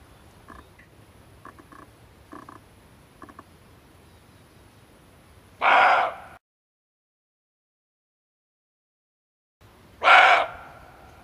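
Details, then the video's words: Barking deer buck, played to lure it while hunting: faint soft clicks at first, then two loud rasping barks about four seconds apart, with a stretch of silence between them. "Suara Kijang Jantan"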